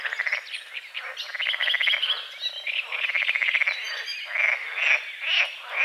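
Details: At dawn over a small lake beside a forest, frogs give quick rattling trains of croaks, then a few louder, separate croaks near the end, with faint bird chirps behind.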